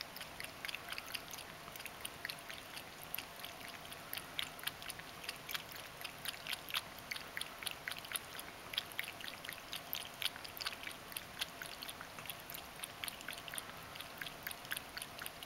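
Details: Ragdoll cat named Mojio lapping water during its everyday drinking routine; steady run of crisp wet clicks, about four each second, continuing throughout against a faint hiss.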